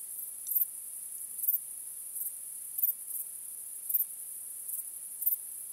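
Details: Crickets calling on a starry night: a thin, steady high-pitched drone with louder chirp bursts about once a second, in a calm, quiet setting.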